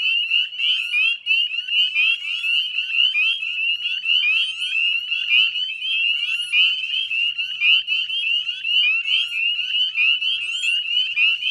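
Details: Spring evening chorus of northern spring peepers at a Nova Scotia salt marsh, West Chezzetcook, 18 May 2020 at dusk; high, sharp upslurred peeps from many frogs merge into a dense ringing sound that swells and dips rhythmically.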